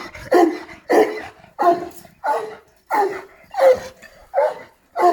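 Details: Šarplaninac giving a run of eight rough barks spaced roughly two-thirds of a second apart, fairly even in loudness.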